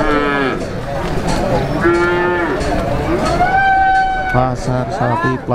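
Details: Calves mooing at a cattle market in Plaosan, Magetan, East Java, Indonesia: several loud, drawn-out harmonic moos, some rising then falling, the last ones short and repeated, over a busy crowd hubbub and background voices.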